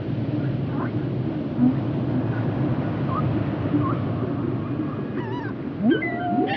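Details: Whale vocalizations for relaxation and sleep: faint short upsweeping squeaks early on, then clearer wavering whistles and sharp rising swoops near the end, over a constant low ocean rumble.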